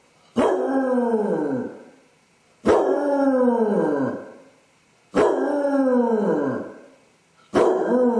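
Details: Home camera captures a Basset hound howling from separation anxiety while its owner is away; repeated drawn-out howls every two and a half seconds, each starting sharply then arching and sliding downward, four in a row.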